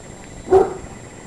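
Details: Norfolk terrier puppies with adult Becky: a single short bark or yip lasting about a quarter second, mid-pitched and clipped, over steady low room noise.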